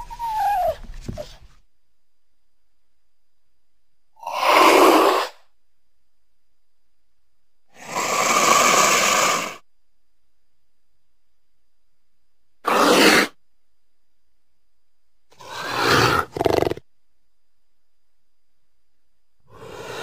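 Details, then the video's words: Cougar hissing and spitting: a series of short, breathy, broadband bursts, some sharp and explosive, spaced irregularly several seconds apart with silence between. "Mountain Lion (Cougar) Sounds"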